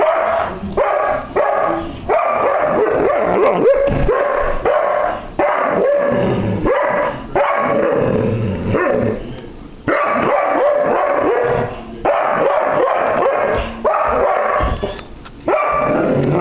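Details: A seven-year-old Irish Setter named Rosie, dated 29 January 2009 and torn between going out to play or getting shoes off, gives a long run of rough, rapid barks and yelps in bursts separated by short pauses.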